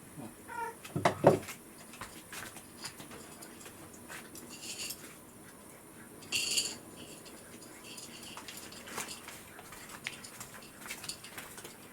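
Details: Rescued house cat calling for breakfast on a hangover morning, quieter than usual when its owner oversleeps; one short, rising-falling meow near the start, then clinks of dishes and soft indoor rustling.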